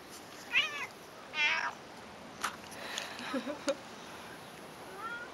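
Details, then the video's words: Cat described as loving conversations with its owner, answering with two clear, bright meows about a second apart. Soft knocks follow, then a faint, drawn-out meow near the end in a quiet room. "Talking cat"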